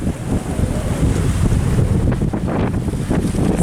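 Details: Wind buffets the microphone by the Baltic Sea, with low rumbling surf and water noise throughout and no animal voice.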